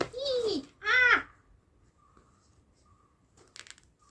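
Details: Pet cat named Kuttimalu, described as being in a psycho mode, indoors in a small room: two arched, whining meows in quick succession, the second louder and higher, followed by quiet room noise and faint rustling.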